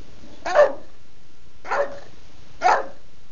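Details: Female bulldog Betty demanding her dinner at home on a Sunday: three short, punchy barks spaced roughly a second apart, with quiet room noise between them.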